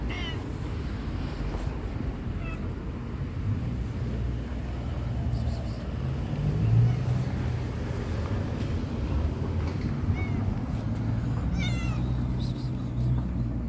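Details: Homeless stray tabby cat outdoors waiting for attention and food: a few short, high, thin meows spaced several seconds apart, faint against a constant low rumble of passing traffic.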